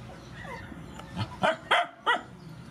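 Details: Rescue dogs, mothers and puppies, at feeding; faint whiny sliding whimpers followed by three quick sharp yips in the last second.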